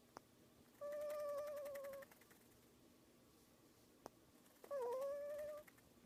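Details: A prairie dog making noises while sleeping, snuggled with its owner: two drawn-out, squeaky tonal notes, the second dipping and then rising.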